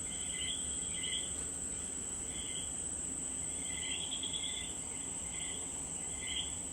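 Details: Common coquí chorus in Puerto Rico, clipped two-note calls stepping up from lower to higher pitch, sounding repeatedly from more than one frog, with a steady shrill insect hum running throughout.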